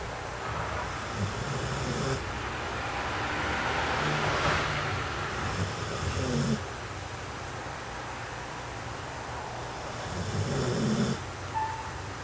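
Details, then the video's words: A puppy snores in its sleep: low, rough snores roughly every four seconds, soft breathing between, a brief louder rustling burst midway. "A Snoring Puppy"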